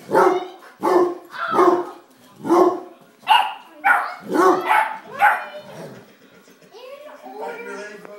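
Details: A 9-week-old beagle puppy at play with an 85-pound basset hound, a child also joining in: loud, rough barks repeat roughly every 0.7 seconds. The barking is followed by quieter higher whining voice-like sounds.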